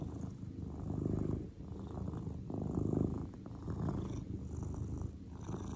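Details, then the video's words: Deep continuous purring from Cordelia, a relaxed grey cat, rising and falling with each breath about every second and a half, soft and close with no other sounds. "A Five Minute Relaxation with Cordelia the Cat"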